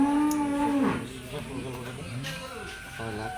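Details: Cattle bought as sacrifice animals for Eid al-Adha, June 2025, in Bangladesh; a steady low moo holds for almost a second, followed by voices and background chatter.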